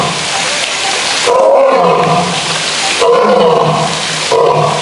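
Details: Zoo male lion giving three loud, groaning roar bursts about one and a half seconds apart, each swelling then fading, over a constant noisy background.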